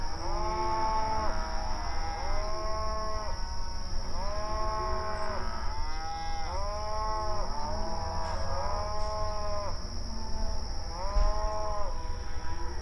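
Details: Mournful mooing from several cows at night, with a steady chorus of long arched moos repeating every second or two and overlapping. A continuous high-pitched whine and a low rumble sit beneath.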